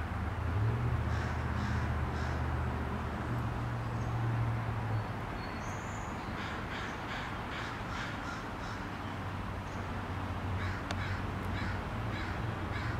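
A Douglas squirrel gives harsh, rapid repeated calls in short bursts over a steady low rumble.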